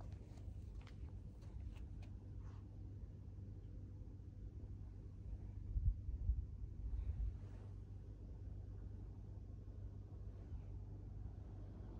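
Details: Quiet outdoor hum with low traffic rumble, a few faint clicks early on and soft rustling midway, without any animal call.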